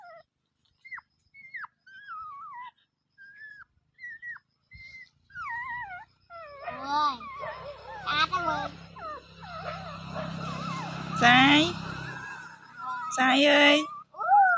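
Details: Dog whining in thin, high, whistled whimpers that bend up and down, sparse at first, then louder and denser with overlapping cries and broad noisy bursts in the second half.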